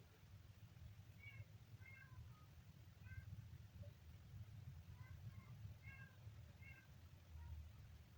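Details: Small kitten mewing in quick clusters of thin, high-pitched calls, some paired, spread across eight seconds, with a continuous low rumble underneath.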